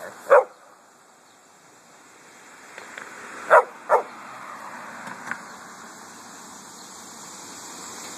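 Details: A pet dog out walking in a cemetery on a hot August day gives a loud single bark. A pause follows, then two more barks close together. Weaker yips and a low hiss fill the gaps.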